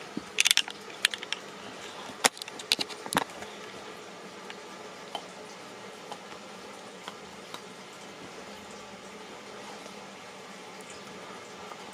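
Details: Quiet indoor room tone with scattered sharp clicks and rustling handling noises, mostly in the first few seconds, with no animal sound present.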